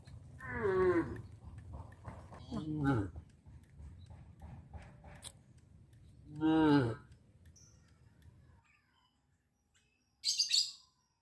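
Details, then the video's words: Cattle from a traditional village farm heading down the village road to their pen in the afternoon; three clear harmonic moos a few seconds apart, rising then falling in pitch, with low background rumble that later drops away. "The cows travel through the village road to the livestock pen in the afternoon-Sound of cows moo"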